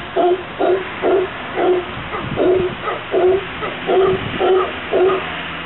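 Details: Howler monkeys, a group settled in a garden in Santa Cruz, Costa Rica, give deep, hoarse barking grunts, about eight evenly spaced bursts at roughly two per second.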